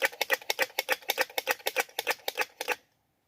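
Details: Squirrel mate-seeking call of fast, clicking chucks, around sixteen harsh pulses at an even six-per-second pace, ending abruptly into silence.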